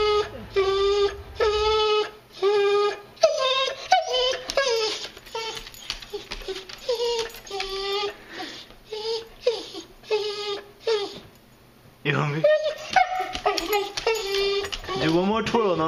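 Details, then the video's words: Female Boxer whining as she waits to be fed, kept on a strict diet for medical problems; repeated nasal whimpers roughly every second, pitch wobbling, a brief quiet gap near the middle, then a rising yelping whine with a person speaking. "Whining Boxer"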